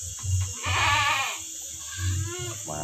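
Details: Etawah goat kept on a woman's farm: a bleat of nearly a second, nasal and quavering, then a second bleat beginning at the end, over low rumbling background and some human voice.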